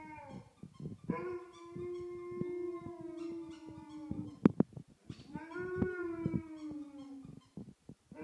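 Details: Alaskan Malamute howling at a teddy bear at home: two long, slightly wavering howls, each swelling in then gently falling, separated by a brief gap with sharp knocks and clicks, a short yip closing the sequence.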